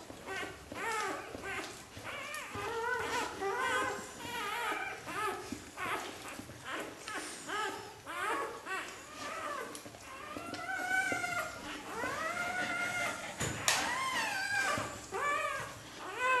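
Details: Xoloitzcuintli puppies from Switzerland's first xolo litter fill the recording with a steady stream of high, wavering whines and squeals, some longer drawn-out cries rising then falling, many pups overlapping.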